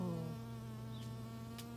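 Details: Honey bee working a white Rose of Sharon flower, close up: a steady low droning buzz with a strong fundamental and stacked harmonics, holding even throughout with no other clear sounds.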